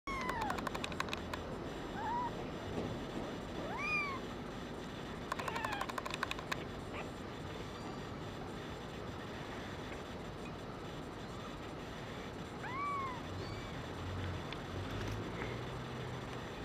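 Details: Brown tabby and white female kitten, rin_01, born 27 February 2011, gives a few thin, high, arching meows spaced apart, one early, one near four seconds, one late, with bursts of sharp clicking and a steady low background hum.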